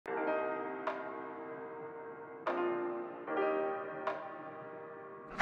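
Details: Repeated bell-like chiming tones ring and fade every second or so, with no animal voices.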